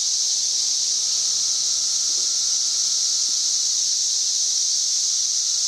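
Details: Cicadas in trees on May 31, 2024, singing at more than 91 dB; a dense, steady, high-pitched buzzing hiss fills every second, with a faint soft thump partway through.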